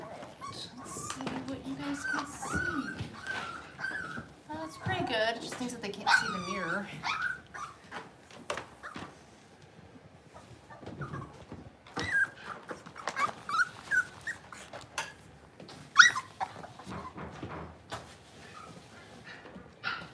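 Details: Cavalier King Charles Spaniel puppies at play inside a home: wavering whines and rumbling play growls in the first seven seconds, then scattered squeaks, scuffles and short yips in a small room.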